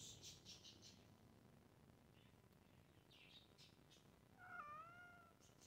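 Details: A hungry cat gives a single drawn-out meow near the end, slightly rising then falling, after a stretch of faint high chirping and quiet background hiss.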